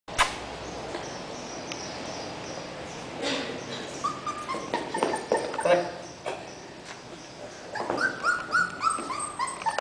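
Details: Puppies born in September 2010 give high, thin whines and squeals, some drawn out as steady tones, in uneven bursts over a constant background hiss, with faint human voices.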